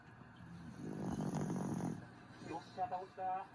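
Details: Sleeping dog Griff lets out a coarse, rumbling snore lasting over a second, then a few short, faintly tonal breaths or snuffles follow in quick succession.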